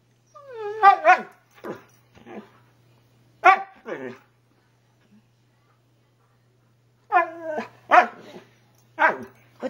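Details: Siberian husky 'talking' back to its owner indoors: grumbling, howl-like phrases with downward-sliding harmonics come in two clusters of several short bursts, separated by a quiet pause, over a low steady hum.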